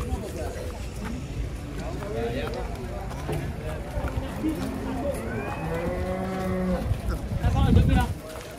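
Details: An extremely thin cow moos once, a steady nasal bellow of about a second and a half held at a level pitch, over background chatter and handling noise, followed by a low rumbling thud.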